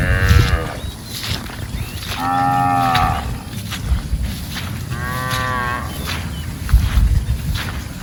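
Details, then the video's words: Cows roaming and eating in a rice field; two clear, sustained harmonic moos about three seconds apart, each swelling then fading, over a low rumbling background with occasional knocks. "Cow videos funny sounds | Sapi Lucu Lagi Makan DiLadang | Suara Sapi Lembu Lucu"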